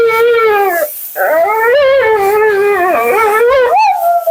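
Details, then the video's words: Mila, a talkative female Siberian Husky, vocalizing during her second-ever grooming bath and blowout; a long wavering howl-like moan with rich harmonics, a short break, then rising and falling yodel-like talking that ends on an upward yelp. "Talking Husky FURNADO Bath and Blowout"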